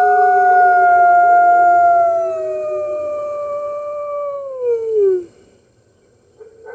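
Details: Captive red wolves at a wolf conservation center in New York howl together on the morning of March 15, 2013, joining the center's other wolves. Long smooth tones slide slowly downward before dropping off, recorded via webcam.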